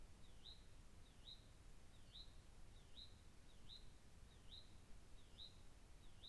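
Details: A cougar caught on a trail camera gives high, bird-like chirps, each a quick upward-swooping whistle repeated steadily under a low rumble; the call's purpose is uncertain, perhaps for a mate or young.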